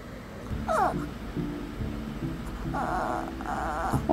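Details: Whining Shih Tzu puppy talking back to its owner, who promises food after tooth brushing; a short falling whimper, then two longer wavering whines over soft background music.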